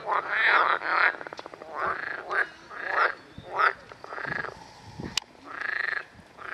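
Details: Edible frogs (Pelophylax kl. esculentus, a fertile hybrid of pool and marsh frogs) give loud, rattling croaks in bursts about every second, a busy pond chorus in Park Róż, Chorzów, Poland.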